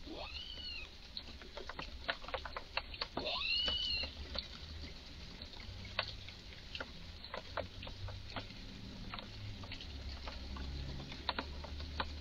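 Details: Visibly excited squirrel in a garden making strange calls first mistaken for a suffering animal; rapid dry clicking chucks about four per second, broken by two arched, wailing cries near the start, over steady low hum.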